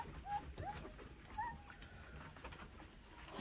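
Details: Eleven-day-old Rottweiler pups taking their first wobbly steps and lying down to rest; three short, high squeaks come about half a second to a second apart, then quiet background hiss.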